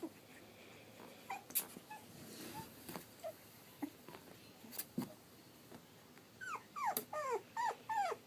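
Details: Three-and-a-half-week-old Pug/Dachshund mix puppies; soft scattered clicks and rustles at first, then a run of short, falling whimpers near the end, several in quick succession over a quiet background.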